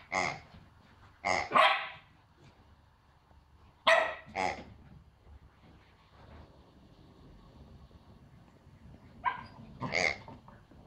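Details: A female Pomsky puppy gives sharp, high-pitched yappy barks, singly and in quick pairs, out of fear at a new squeaky piggy toy invading her territory.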